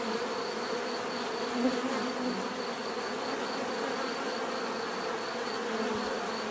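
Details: Many bees produce an unbroken, even hum, low-pitched and steady throughout, with only a small swell as one insect passes briefly near the start.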